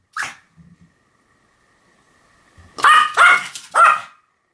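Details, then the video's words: Pomeranian with one early yap, a quiet pause, then three loud, shrill barks in rapid sequence. "犬の鳴き声 ポメラニアン 1000回吠え Dog sound effect"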